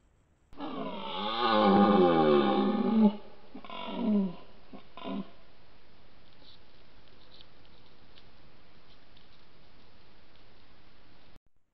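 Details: Red deer stags bellowing during the rut in the Grésigne forest, recorded with a Victure HC-400 and Coolife H953: one long, deep, harmonic roar of about two and a half seconds, then two shorter grunting bellows, then quiet.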